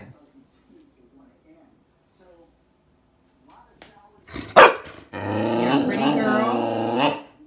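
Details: Standard Poodle 'talking' because it wants a muffin, indoors; after a quiet stretch and a sharp clatter, a long wavering, moaning vocalization of about two seconds with rich harmonics, rising and falling like speech.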